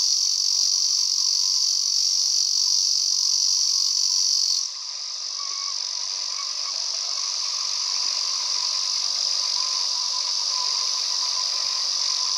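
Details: Male Ezo cicada on a mountain walk, droning a loud continuous high buzz that abruptly shifts tone partway through, then carries on slightly rougher and wider, with faint lower rasping beneath.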